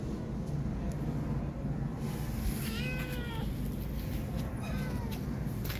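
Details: Abandoned kitten, fearful and not letting anyone touch her after the mother cat left, lets out a couple of thin, falling meows half-buried under loud low rumbling noise.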